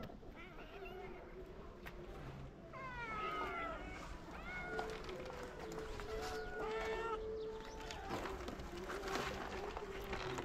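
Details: Stray cats in Morocco, fed by a local man, meowing as if saying they missed him: several overlapping, rising-then-falling harmonic meows, some short and some drawn out, repeated in quick succession over a low outdoor background hum.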